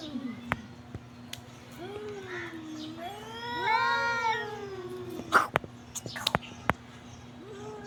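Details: Domestic cat meowing: a drawn, wavering, whiny cry that swells and falls over about three seconds, with softer lead-in tones, a low background hum and several sharp clicks afterward.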